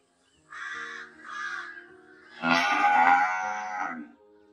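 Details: Two short, harsh, caw-like calls open the recording before a cow lets out a long, strong, harmonic moo that holds for nearly two seconds and then fades.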